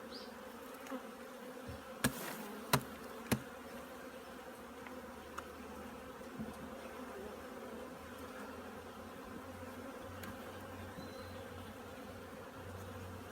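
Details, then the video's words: Many honey bees at a hive busy with winter preparations, giving a continuous dense buzzing drone, broken by three loud knocks early on and a low mechanical hum underneath. "꿀벌들의 월동준비"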